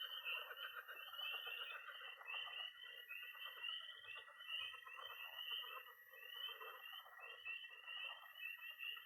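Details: Tree frogs, toads and pond frogs calling at night in early spring in Missouri: pulsing high peeps in rhythmic bursts above a steady trill, with a murmuring mid-range croaking layer.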